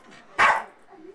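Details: Excited Bichon Frise in Worthington, Minnesota, August 22, 1998, asking to go for a walk: a single short, sharp bark followed by quiet room sound and faint human voice.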